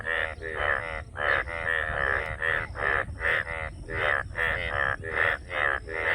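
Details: Rapid, rasping frog croaks come in quick succession, sometimes doubled, each a buzzy, pulsed note with a nasal ring. A faint high tone stays behind them.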